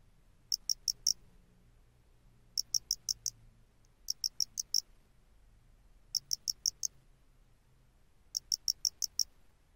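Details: A face-flattened cricket (Loxoblemmus doenitzi), common in the lowlands of western Japan, sings short bursts of four or five bright, high chirps, repeated about every two seconds.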